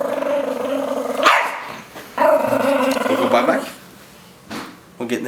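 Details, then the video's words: Indoors, a Chihuahua called Rosco growls in protest at bath time, a steady low harmonic rumble lasting about a second, then a louder snarling stretch, as a voice urges him toward the shower. "Evil Dog Chihuahua"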